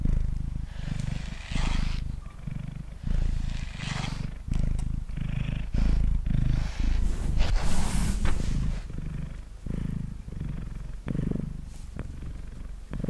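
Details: Mango the house cat, male, purring on a table as he is brushed, a dense low vibrating drone pulsing with each breath, interrupted by frequent scratchy brush strokes and small clicks.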